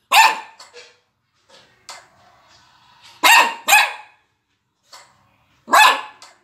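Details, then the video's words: A Maltese dog watching YouTube yaps in sharp, high barks, some in quick pairs. "Maltese dog looking YouTube and barking 😀"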